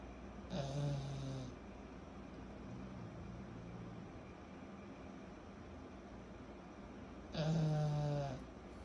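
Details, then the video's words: Sleeping pug puppy Kyro, 14 months old, gives two loud rasping snores about six seconds apart, each a low buzzy rumble of roughly one second with airy hiss, quiet soft breathing between them indoors. "Our SNORING 14 months old PUG PUPPY"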